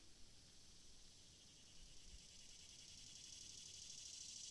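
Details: Cicada chirping with a sustained sizzling high-pitched drone that builds gradually in loudness, over a soft low background rumble.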